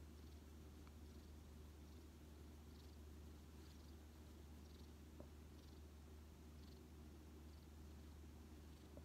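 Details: Rescued odd-eyed white cat, found badly weakened in autumn 2018, resting affectionately on a person's knee and purring: a soft, steady, continuous low rumble without pauses under faint room hiss.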